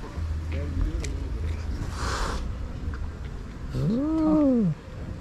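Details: Fierce, grumpy stray female cat ready to attack lets out a single short arched meow near the end, rising then falling. Earlier, faint rustling, a low hum and a brief burst of broadband noise.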